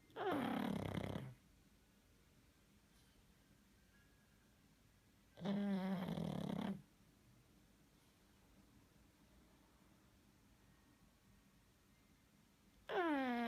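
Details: Sleeping pug snoring in loud, rasping bursts about a second long, with long quiet gaps of roughly four to seven seconds between them; each breath carries a wavering nasal tone over faint room hiss.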